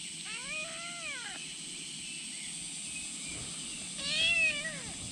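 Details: Kitten clinging to a bag and wanting what is inside gives two arched, whining meows about three seconds apart, the second louder and more strained, over a constant high-pitched background hiss.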